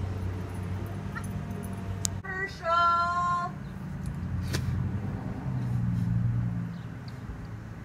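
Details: Herschel, a huge six-year-old adopted pet cat, answering as he is called by name: one loud, steady, tonal meow lasting about a second with rich harmonics, amid a person's calls and a constant low hum.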